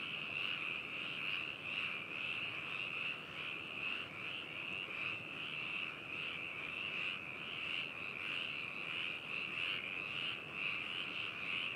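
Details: Frog chorus recorded binaurally in Hakushu, Hokuto, Yamanashi, Japan, on 4 May 2018: a dense, continuous mass of overlapping trilled croaks, pulsing steadily with no pauses, many calling at once.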